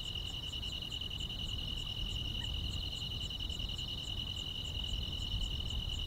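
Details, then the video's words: Grass insects on a quiet rural summer night: two steady high trills layered together, with a fainter, very high ticking pulse repeating about twice a second over a low rumbling background. "여름밤의 포근한 풀벌레 소리"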